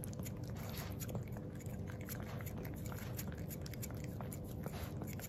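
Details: Black-and-tan male Miniature Pinscher Jiro licks plain yogurt, his first ever, in a small room; a continuous run of moist smacks and laps, mostly low and muffled, with faint clicks between them.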